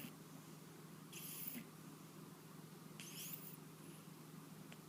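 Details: Pet cat suffering from a cold snores while asleep indoors, two hissing, raspy breath sounds about two seconds apart above a constant low background hum.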